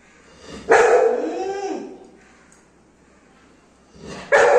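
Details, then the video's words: Golden Retriever Anna, a pet dog, angry at her mom because hot rice takes time to cool; two loud harmonic barks about three and a half seconds apart, the first trailing into a falling whine. "গরম ভাত ঠান্ডা করতে সময় লাগছে বলে Anna মায়ের ওপর রেগে টং"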